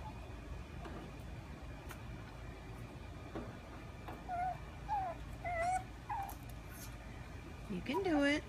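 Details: Frustrated pug puppy unable to fit her favorite stick through a fence doorway; short high whimpers come in a loose series, then a longer falling whine near the end, with Spanish speech in the background.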